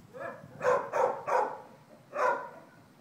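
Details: Shih Tzu named Panda, a dog up for adoption, gives four sharp, mid-pitched barks: three in quick succession, then one more after a short pause, with a quiet background.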